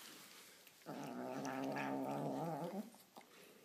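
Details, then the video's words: Annoyed white kitten growls as it eats, one sustained rough rumbling growl lasting about two seconds, slightly wavering before it stops. "Cute white kitten annoyed when eating!!"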